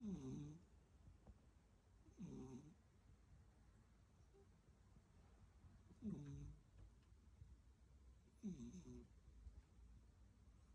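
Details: A domestic cat snoring, explicitly not purring: four soft, low rasping snores at about two-to-four-second intervals, each a short rough breath with faint upper overtones, separated by near silence in a quiet room.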